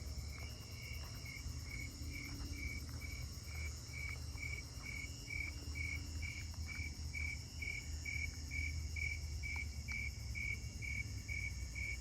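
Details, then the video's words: Snowy tree crickets sing steady, mellow chirps, roughly two each second, over a low rumble, probably close by, heard on a 7/25/26 night walk through a neighbourhood. "And yep, it sounds like they're snowy tree crickets again."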